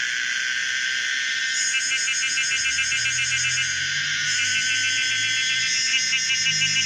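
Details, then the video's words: Pomponia linearis cicada producing a throbbing, pulsed high buzz that wavers in texture, over a faint low hum in the background. "the weird sound of the common cicada pomponia linearis"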